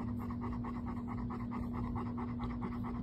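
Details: Pet dog named Bo, a male, panting in quick even breaths, several per second, over a steady low electrical hum.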